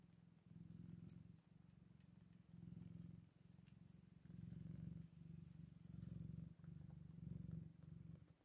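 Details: Scottish Fold kittens, eight days old: low, rumbling purr pulsing in bursts about a second long, separated by brief pauses, with faint clicks and rustles above.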